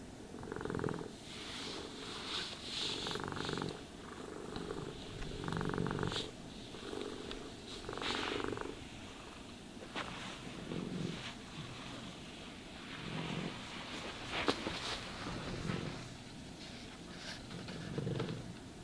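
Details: Cat purring as it is brushed and groomed, a deep vibrating rumble rising and falling in repeated swells, overlaid with scratchy brushing and occasional sharp clicks of the comb.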